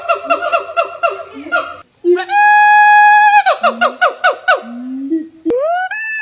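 A monkey starts with fast, rhythmic, nasal chatter. It follows with a long, steady, harmonic wail, a burst of pulsed yelps, and finally several rising squeals.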